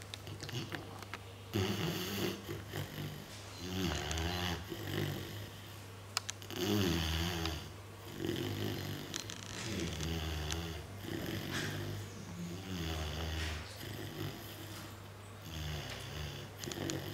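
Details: Mina, a Mastiff sleeping soundly indoors, snores in deep, rattling breaths repeated every two to three seconds over a steady low hum.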